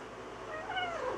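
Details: A talking pet cat, indoors, gives a single short meow that rises and then falls in pitch, with clear harmonics, over a faint low room hum.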